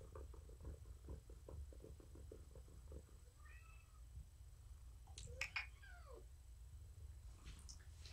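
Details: Morticia, a pet cat found at a rescue volunteer's door, purrs indoors while being petted in the evening; a steady low rumbling purr with rhythmic pulses, broken by a couple of short high chirping meows midway.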